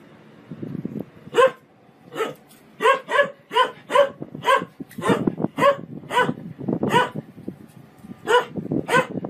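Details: A dog barks in a fast, irregular series of about fifteen short barks, some in close pairs, over a continuous low rumbling background sound.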